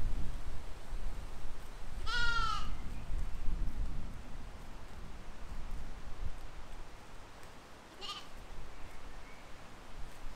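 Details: Spring 2020 field recording of grazing sheep and lambs: one clear, trembling bleat with wavering pitch, then a fainter, shorter baa about six seconds later, with steady wind rumble underneath.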